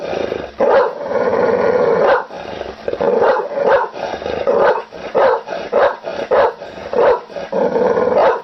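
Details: Angry pit bull dog: loud rough growling barks with harmonic bands, delivered in uneven bursts of roughly half a second to a second, separated by short gaps across the clip.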